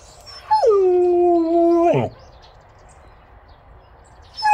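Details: Samyong, a yellow-coated Jindo dog, gives one steady, level howl lasting about a second and a half. It ends in a sudden broken drop, and a fresh howl starts at the very end.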